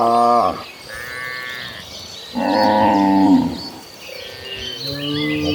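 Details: Gentle cattle, dozens of cows walking toward a green pasture: two deep, harmonic moos, one short at the start and one longer, swelling call after a pause, with faint higher chirps of birds in the background.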